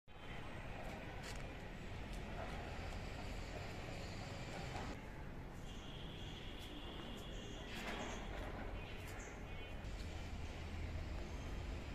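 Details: Steady low rumble of traffic and urban background noise with faint distant voices, and no animal calls.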